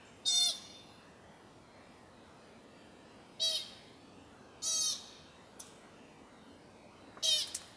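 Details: American pika (Ochotona princeps) gives short, nasal, high-pitched bleats spaced a few seconds apart at sunset, near Carpenter Mountain fire lookout, H.J. Andrews Forest, Oregon, USA.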